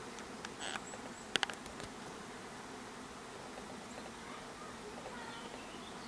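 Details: Low continuous buzzing from a hive of honey bees, with a brief burst of sharp clicks early on and otherwise an even, murmuring drone.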